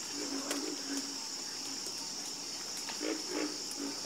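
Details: Brief stretch of a frog chorus, with a few low, rough croaks and sharp clicks scattered across the seconds over a persistent high hiss.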